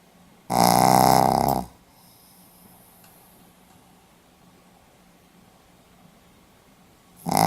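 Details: A sleeping Pomeranian on 4 November 2015 lets out one heavy, rough snore lasting over a second. A long quiet stretch of faint room noise follows, and the next snore begins just at the end.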